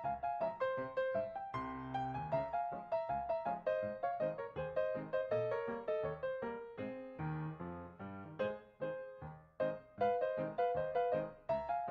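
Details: Bright piano music plays throughout, with a quick, repeating melody over lower chords and no animal voices.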